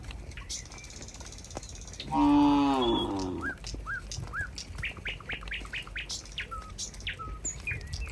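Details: A cow in a herd near a rural barn: one short, falling moo midway, then a string of bright, rapid bird chirps over a quiet, rustling background.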